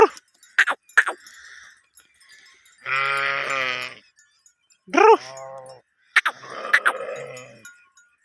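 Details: Bleating from a sheep herd at mating time: a long, steady, nasal bleat followed by a shorter, rising, quavering one, with sharp bell clinks before and a softer bleat trailing at the end.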